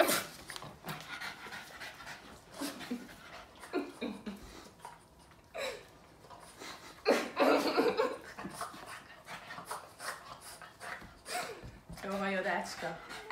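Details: Pet Boston Terrier Yoda that won't stop licking its owner: rapid wet licking and fast panting breaths, with louder slurping bursts around the middle and a brief whimpery, nasal sound toward the end; the owner murmurs calming words in Hungarian.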